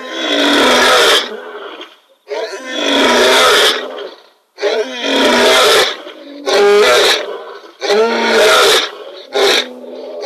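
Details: Male lion roaring into the night at the Kings Camp waterhole: long, loud, rough roars of one to two seconds each follow one another with brief pauses.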